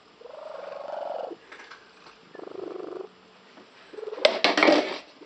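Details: Pet cat, female, with an unusual frog-like purr; two throaty pulsed bursts about a second long, a softer fragment between, then sharp clattering knocks near the end.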